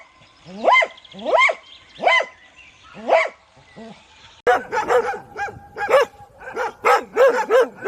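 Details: Dog barking, from a set of different dog barks: four spaced, ringing barks with clear tonal pitch, a short gap, then an abrupt switch to a faster run of about nine barks from a higher, yappier dog.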